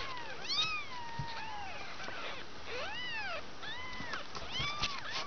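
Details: Kittens nearly two weeks old, from a litter of five, cry with thin arched mews, several voices overlapping and repeating about once a second, faint low rumble behind.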